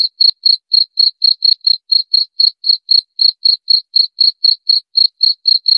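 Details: Steady cricket chirps: crisp high-pitched pulses evenly spaced around four per second throughout, against complete silence otherwise.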